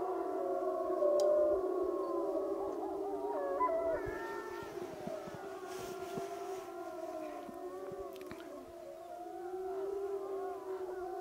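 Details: Wapiti Lake wolf pack gathered for a group howl: several overlapping long, sustained howls at different pitches, some steady, some sliding up and down, forming a continuous chorus throughout.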